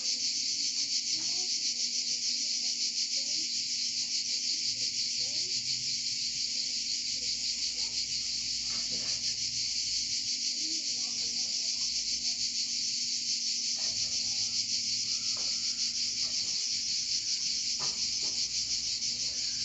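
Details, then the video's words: Chorus of cicadas in Provence: a steady, loud, high-pitched rasping buzz held without a break for the whole stretch, with a few faint clicks and ticks beneath it. "Chant des Cigales en Provence"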